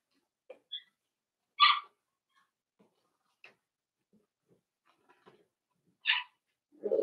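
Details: Daisy's 4-week-old Cavalier King Charles Spaniel puppies in a pen indoors on a live puppy cam; two sharp squeaky yelps stand out about four seconds apart amid soft scratching and shuffling, with a low grunt at the end.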